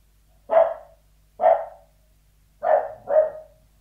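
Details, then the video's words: Indoor Sealyham Terrier behind a door giving four gruff barks, two spaced singles followed by a quicker pair, each bark with a short falling tail. "Sealyham Terrier Barking Behind Door, Interior"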